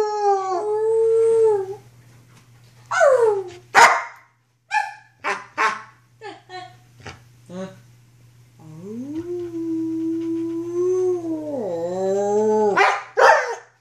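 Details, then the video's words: Female wolfdog Luna, six to seven months old, recorded in 2013 during rough play: yelps and rising squeals, then a long smooth howl lasting about four seconds that dips lower before ending in a sharp bark, with a faint steady hum beneath. "Wolfdog Howling & Roughhousing"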